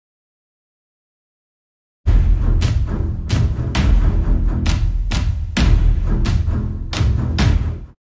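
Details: Two seconds of silence, then a run of deep, booming thumps and knocks like drumming, with no clear animal voice.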